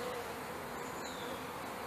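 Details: Package honey bees in May 2013, settling at a new hive with a brick in front of the entrance. A dense, unbroken hum from the swarm holds steady throughout, with a faint low tone running beneath it.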